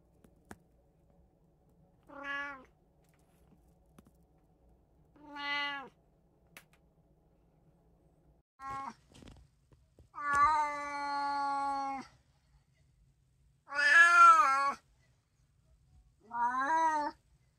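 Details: Indoor pet cat, one of three sharing a home with a brown tabby, a short-legged Munchkin and an Abyssinian, April 2024; a series of six meows at irregular intervals, growing longer and louder, one sustained nearly two seconds.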